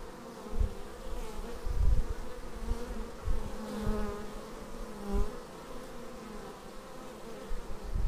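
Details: Honeybee traffic at the hive entrance, recorded on a Xiaomi Yi camera: a dense, even hum of wings with several close fly-bys rising out of the buzz every second or two.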